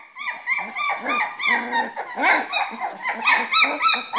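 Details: Springer Spaniel puppies, three weeks old, playing together in their whelping box; a busy overlapping chorus of high squeaky whines, yelps and rising whimpers from several pups.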